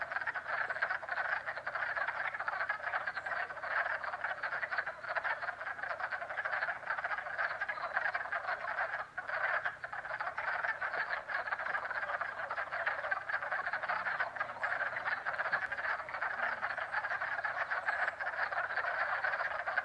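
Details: Frogs calling in springtime at a pond in Jackson, NY, forming a steady, unbroken wall of rapid clicking trills from many overlapping callers, with one brief dip near the middle.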